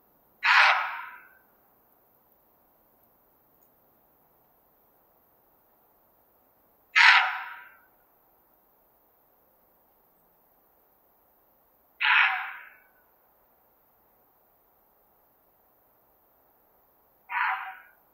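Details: A roe deer buck (Capreolus capreolus) gives harsh, hoarse barks, each spaced five or six seconds apart.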